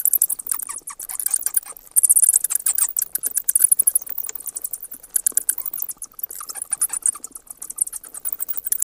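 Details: High-pitched bat chatter: dense, fast pulse trains of thin clicks and squeaks, continuous and irregular, rising and falling in intensity throughout.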